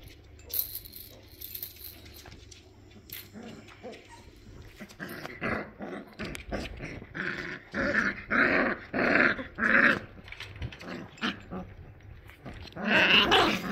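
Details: Labrador Retriever puppies playing, biting and cuddling indoors; a series of rough, throaty growls and grumbling yaps, louder and more frequent toward the end, with scuffling and thumps between them.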